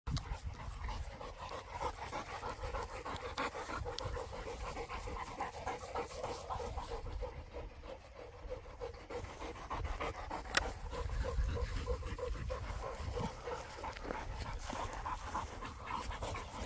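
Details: A Boerboel (South African Mastiff) couple living in Egypt; steady, quick rhythmic panting breaths repeat at roughly three per second over a low rumble of background noise.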